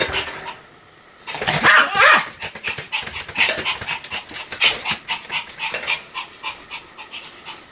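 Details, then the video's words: Sam, a pet Pomeranian, barking continuously in Japan: rapid sharp yaps after a quiet first second, bursting several times a second with uneven spacing, loudest around the two-second mark. "犬の鳴き声 ポメラニアン サムちゃんの連続吠え集"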